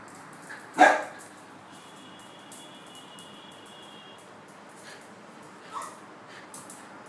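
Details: An indoor fox terrier, frustrated at a moving red light on the ceiling it cannot reach, gives one sharp loud bark near 1 s and a softer yip near 6 s, with a faint steady whine between.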